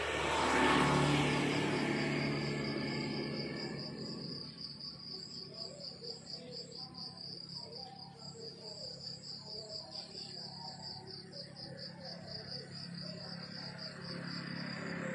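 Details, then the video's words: A loud passing rumble fills the first few seconds, then countryside crickets carry on with a bright, regular, rapidly pulsed high chirp through the morning, faint low murmurs underneath. "The beautiful sound of crickets chirping in the countryside in the morning"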